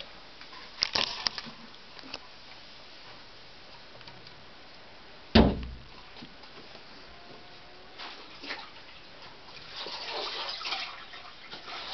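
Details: Indoor rustling, soft splashing and scraping with one sharp knock, no barking or other animal voices.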